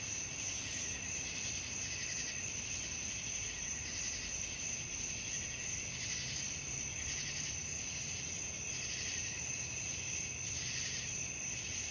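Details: Crickets calling at night in a dense, continuous high trill that pulses in loose bursts every second or so, with a quiet low hum beneath.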